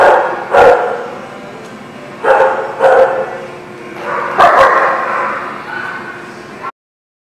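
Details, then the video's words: Dogs at a kennel or dog lot giving scattered barks a second or two apart, separated by a steady background hum, ending abruptly. "The Barking Lot"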